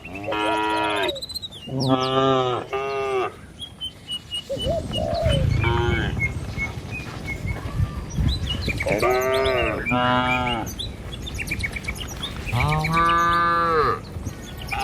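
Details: A herd of cattle walking along a village road toward a truck and pen. Short moos in quick succession give way to a pause and then more overlapping lowing, with faint bird twitters and footstep rustle throughout.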